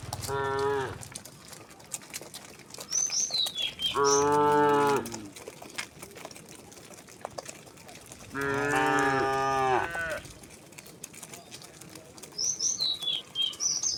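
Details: Herd of thousands of tame cows and oxen walking peacefully to their resting place outdoors: three drawn-out harmonic moos, the last slightly rising, spaced several seconds apart, with brief high bird chirps between them.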